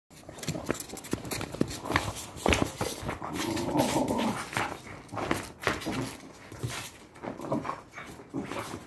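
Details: Patterdale Terrier, a fell terrier, growling during tug-of-war training play: a rough, low rumbling growl swells in the middle of the clip amid clattering and scuffling noises from the game.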